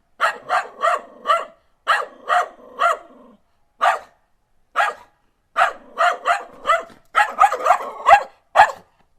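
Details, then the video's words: Cocker Spaniel barking, from a collection of dog breed barks; sharp, clear single barks in quick runs of three or four, separated by short silences, with a faster, tighter cluster near the end. "4) Cocker Spaniel"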